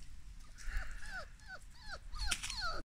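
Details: Labrador Retriever puppies from a small home kennel, out on a walk during recall training, give a quick run of about six short, high, downward-sliding whines, closing with a sharper, louder yelp.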